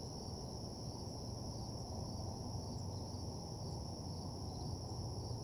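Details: Nighttime crickets in an empty parking lot keep up a continuous shrill trill, with a second thin band higher up, while a heavy low droning noise fills the background.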